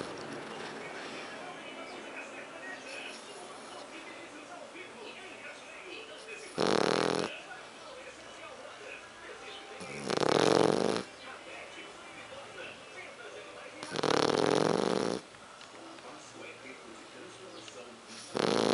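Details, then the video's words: Sleeping French Bulldog Héron snores steadily, four harsh, throaty snores arriving roughly every three to four seconds, each about a second long, separated by quiet low-level room noise. "Héron, Bulldog Francês roncando"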